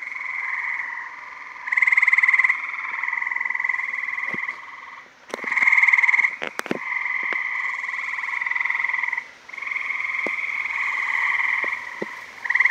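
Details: Chorus of gray tree frogs mating in a backyard pool in Maryland, summer 2017: loud continuous pulsed trills from several males overlapping, with louder bursts every few seconds and a few sharp clicks.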